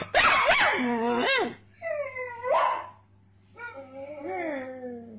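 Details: Pet pug joining in when its owner barks, answering with drawn-out, wavering yelps that bend downward, alternating with a person's barking imitations and brief quiet gaps.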